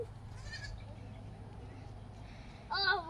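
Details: Goats dressed in pajamas being chased for fun by a dog; one short, loud, wavering bleat near the end, preceded by a faint brief bleat, over steady low hum and background music.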